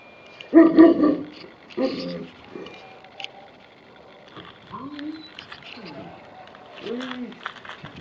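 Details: Tibetan Mastiffs playing hide and seek give two loud, deep barks in the first two seconds. Human voices talk quietly through the rest.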